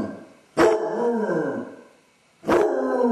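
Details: Male basset hound left alone indoors while owners are out, howling from separation anxiety on a home camera; two loud, drawn-out harmonic howls, each sliding downward in pitch, the second cut short, a quiet gap between them.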